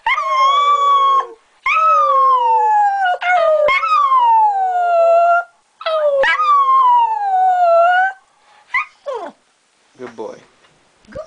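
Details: Howling with its household, a pet Smooth Fox Terrier gives three long, wavering, slowly falling howls of about two seconds each, then trails off into short rising yips and whimpers before falling quiet.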